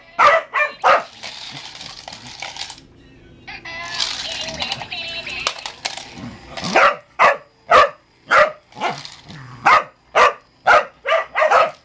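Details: A Cardigan Welsh Corgi plays with a sound-activated cat toy that gets noisier the more he barks. He gives sharp, quick barks, broken by a stretch of the toy's buzzy electronic noise.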